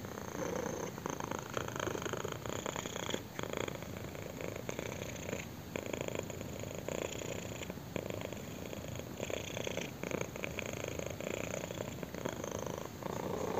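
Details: Sustained rumbling purr from a kitten receiving chin scratches, steady and intense, its pulses grouped into inhale and exhale phases repeating about every second.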